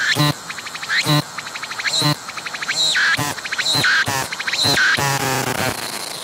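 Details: Singing cicada filmed at close range, staying put as it was approached, its abdomen moving while it sings; rhythmic pulsed buzzing with loud broadband bursts roughly once a second and short rapid pulse trains between them.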